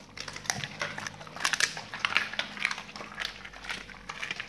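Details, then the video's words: Dogs feeding on raw meaty salmon bones and raw chicken carcasses, with a dense run of sharp crunching clicks and crackles, loudest in bursts around the middle, over a faint low hum. "dogs eat raw meaty bone salmon and raw chicken carcasses [ASMR] 動物の咀嚼音"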